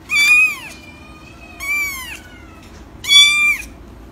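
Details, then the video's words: Three clear, loud kitten meows from an ASMR recording, each a bright rising-then-falling cry with a thin lingering tone between them, in an otherwise quiet background. "10-minute ASMR Meow"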